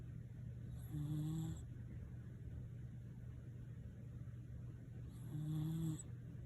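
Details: Sleeping Shiba Inu Nene gives two soft, low, humming snores roughly four seconds apart, with a steady background drone between breaths.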